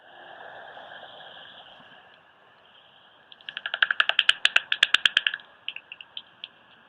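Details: Common pipistrelle bat hunting along a woodland edge at Brown Robin Nature Reserve, Cumbria, about half an hour after sunset, heard through a bat detector: a quiet hiss, then rapid wet slapping clicks that speed up as it homes in on a moth or insect.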